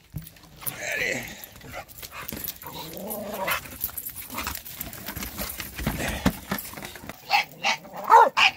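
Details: Bulldogs reacting to a shop vacuum indoors; a series of uneven, rough barks and yelps, ending in several sharp loud barks, with a person's voice and machine hum underneath.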